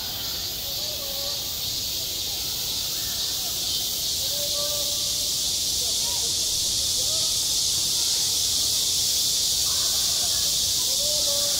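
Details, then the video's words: On a school playground in high summer, many cicadas produce a loud, constant sizzling buzz, even from start to finish, while distant voices rise and fall faintly beneath it. "한 여름 운동장에서 매미가 울고 있다"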